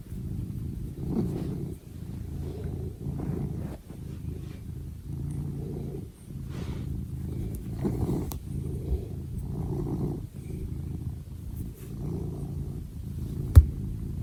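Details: Pet cat giving a long, low purr that rumbles on without pause, its pulsing drone swelling and fading in waves, with a few faint clicks and one sharp tap near the end.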